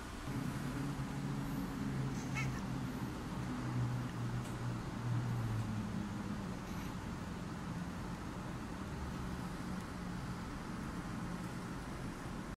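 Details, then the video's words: Black and white female cat with a sore throat, voicing a low, rough, drawn-out meow whose steady harmonics hold for about six seconds before fading into weaker, strained tones over a constant background hum. "Cat having sore throat"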